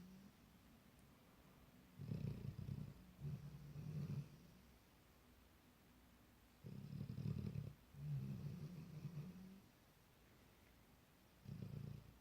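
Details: Ten-month-old Labrador Retriever puppy asleep for the night, snoring in low, rasping bursts that come in pairs, each breath cycle lasting about four to five seconds, with quiet pauses between them.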